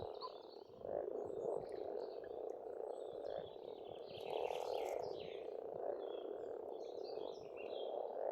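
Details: A pond in Estonia in spring, where frogs croak in a constant dense chorus while several birds add high chirps and a brief buzzy trill over the top.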